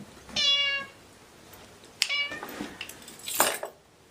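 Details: Domestic cats with three short, sharp meows spaced about a second and a half apart, the last one harsher and noisier, in a small indoor space.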